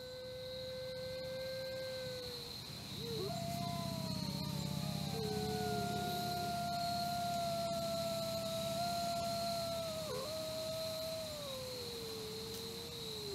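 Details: Captive red wolves at a conservation centre in South Salem, New York, howl in long, steady tones that slide gently downward, with a constant insect drone behind.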